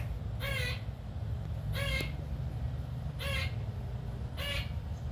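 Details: A squirrel calling while harassing a house cat: four harsh, nasal, buzzy calls, each short with rich overtones, repeated roughly every 1.3 seconds over a steady low hum.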